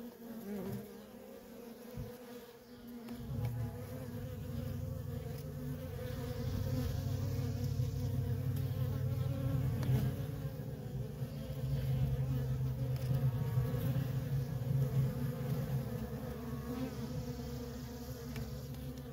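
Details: Worker honey bees in nonstop traffic at a feral colony: a dense, steady low hum that swells after the first three seconds and stays loud, with faint higher overtones layered above.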